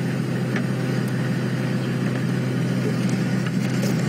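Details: Steady vehicle engine drone with a low hum and faint rustles, and no animal calls.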